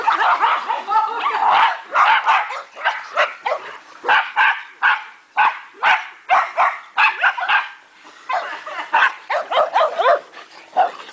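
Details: Several dogs playing together in a backyard dog park, recorded 3/29/08, giving rapid overlapping barks and yips in dense bursts, with short pauses between volleys.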